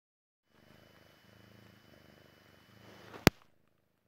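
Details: Jessie, a Persian Chinchilla kitten, purring as she relaxes and falls asleep; a soft, low, rumbling purr pulsing steadily for about two and a half seconds, ending with one sharp, loud click.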